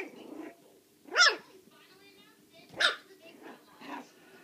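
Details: Puppies four weeks and four days old playing loose; two loud, sharp yelps rising then falling in pitch burst out about a second and a half apart, followed by a softer yip, with low rustling and faint murmurs between.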